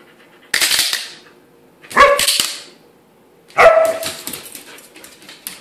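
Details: Female Siberian Husky indoors reacting to clapping hands, a squirrel toy nearby: a sharp slapping burst, then two short, loud, harmonic barks about a second and a half apart, each fading into a brief rough tail.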